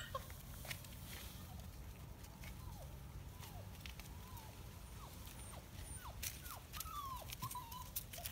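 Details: Five-week-old Kuvasz Kangal Komondor mix puppies as the night shift begins, giving many short, high whimpers that slide downward, scattered irregularly through the clip over a steady low rumble and light rustling.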